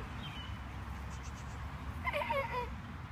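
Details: Goat used as a playful climbing companion gives one short, quavering bleat lasting about half a second near the end, its wavering harmonic tone standing above a steady low background hum.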